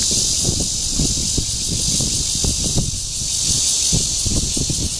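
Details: Red-veined cicada (Cryptotympana holsti) calling in courtship at Guangming Park on Yuanhua Road, Zhongli, on 28 June 2013. A steady, loud, high-pitched hissing buzz runs unbroken throughout, over low thumps and rumbling.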